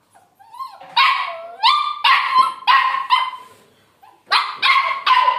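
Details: Labrador Retriever puppy giving high, yelping barks with clear harmonics. A short whine-like rise comes first, then a run of three barks, a quiet pause, and a final burst of three quick barks.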